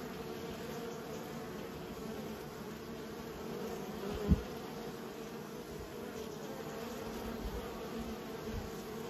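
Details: Raised honey bees humming steadily, the colony drone interrupted by a single sharp thump midway and a softer knock near the end.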